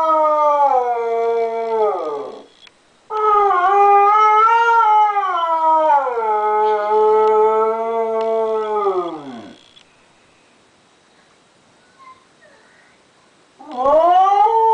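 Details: Pet dog Diva howling on hearing the voice of Derek, the grandson she misses, from a computer: drawn-out wavering howls sliding downward at their ends, separated by short breaths and a longer silence before another howl rises.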